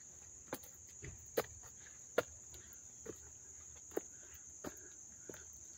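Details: Crickets at the Dobbs Ferry Little League field, New York, on August 29, 2024, close up: a steady, unbroken high-pitched trill runs throughout. Sharp footstep clicks land about every second.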